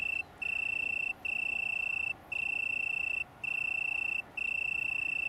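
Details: Italian tree cricket near Brighton, United Kingdom, 21 September 2019, producing a bright, pure trilling tone in bursts of about a second, each separated by a brief gap.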